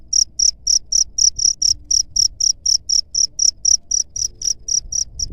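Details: Cricket giving a chirp meant to repel rats, bright high pulses repeated roughly four per second in a regular rhythm over a quiet low background.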